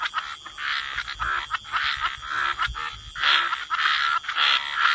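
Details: Several frogs croak in a wetland with overlapping, rasping calls in uneven bursts. A few faint low thumps sound underneath.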